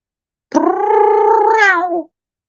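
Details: Male domestic cat talking to his owner indoors during a live evening stream: one drawn-out meow of about one and a half seconds, a steady, rich, harmonic tone that lifts slightly and then slides down at the end.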